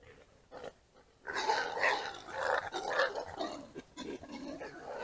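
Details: Two wild boars, including a mature male, fight at night over food, squealing and grunting harshly as they clash.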